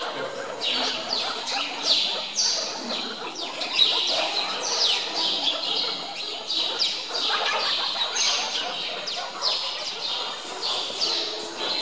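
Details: Meerkats in Zoo Augsburg squabbling over chicks at feeding time, stealing food from each other; many shrill, rapid chirps and squeaks pile up continuously, with sharp, loud bursts now and then.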